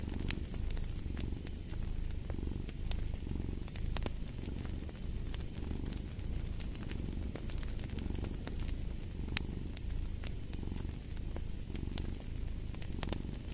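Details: Cat purr rolling in slow, even waves of low rumbling, each breath cycle swelling and fading roughly every second, with scattered fireplace crackles snapping above it.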